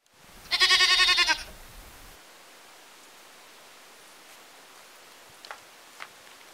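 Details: Goat in a village: one loud, quavering bleat lasting about a second, rapidly pulsed like a trembling vibrato, followed by quiet with a few faint clicks.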